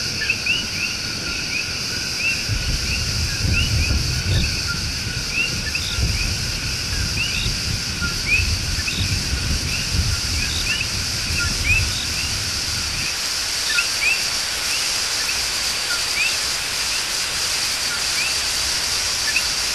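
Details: Love song of coqui tree frogs in El Yunque Rainforest, Puerto Rico. Repeated rising chirps carry through broad rushing noise and low rumbling that eases after about thirteen seconds, with a steady insect drone throughout.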